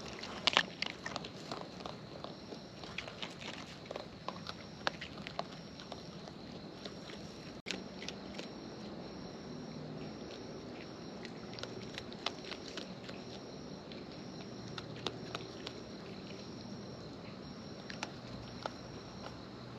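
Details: Eating raccoons in the wild, heard up close as soft, steady crackling and nibbling bites, with occasional sharper clicks, over a continuous faint high-pitched hum.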